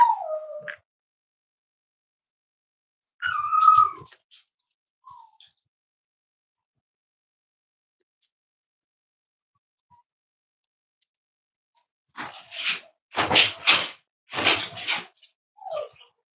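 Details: Cavalier King Charles Spaniel puppies at home, where emotional support dogs are raised: a thin, falling whine and a short wavering whimper, a long quiet stretch, then a burst of rough, breathy barks.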